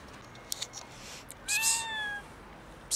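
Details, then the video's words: Tuxedo kitten meowing dramatically, as if it were the end of the world: a single drawn-out harmonic meow lasting under a second, falling slightly in pitch, with brief clicks and rustling before it and a short noisy burst at the end, indoors. "Tuxedo kitten meows as if it's the end of the world"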